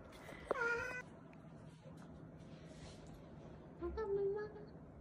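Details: ['Weak, fading kittens found leaning on each other on the way home from a family funeral; two thin, high meows, one short and sharp, the other longer and wavering a few seconds later, over a soft hum of background noise.']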